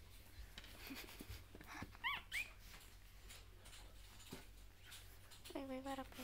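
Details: Newborn puppies three days old, still sleeping a lot but growing more active, with drinking milk their main activity; two quick rising squeaks near the middle, then a longer wavering whine with rich overtones near the end, over a steady low hum.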